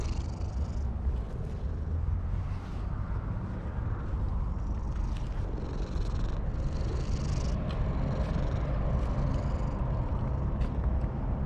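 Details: Stray cat perched on a wall, purring contentedly while being stroked, recorded with a GoPro HERO8 Black: a continuous low rumbling purr fills the clip, with occasional faint rustles of hand and fur over a soft background hum.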